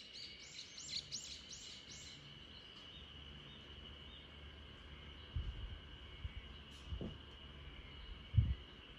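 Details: Backyard spring cicada chorus in Japan, heard while the Great Pyrenees RunRun sleeps: a continuous high, even drone underneath a run of quick bird chirps at the start, with a few soft low thumps later on.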